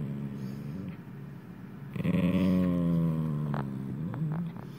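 An Italian greyhound snores, a low, droning, voiced rumble that swells and fades.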